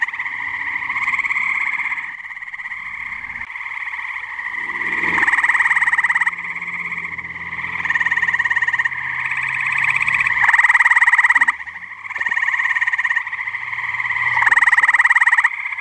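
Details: Tree frogs calling together at a pond on a muggy night in New Jersey; overlapping pulsed trills repeat in loud bursts of about one second over a constant humming chorus, with faint low rumbles.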